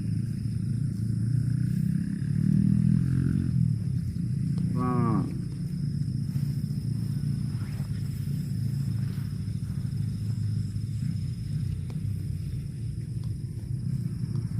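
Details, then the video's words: A cow gives a low drawn-out moo, then a brief, strained higher bellow that rises and falls, with a constant deep rumble of background noise throughout. "COW SOUND"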